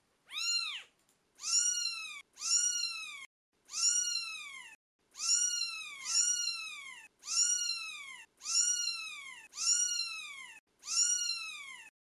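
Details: Twelve-day-old British Shorthair kittens mewing persistently: around ten loud, shrill mews nearly one per second, each rising then dipping, in a quiet indoor setting.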